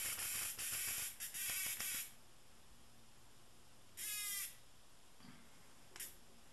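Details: Tame cicada giving loud, harsh buzzes: a run of rapid choppy bursts over the first two seconds, then a short buzz near four seconds and a brief final burst, with quiet background between.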